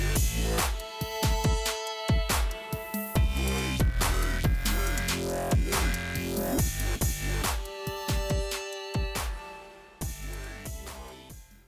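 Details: Electronic dance music with pounding bass, sharp drum hits and layered synth tones, and no animal sounds.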